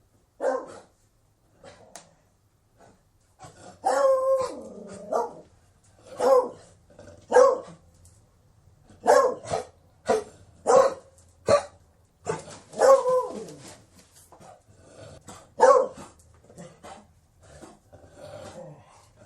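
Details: Beagle giving a run of sharp barks mixed with drawn-out baying howls, loud bursts every second or so with brief pauses, in a quiet setting.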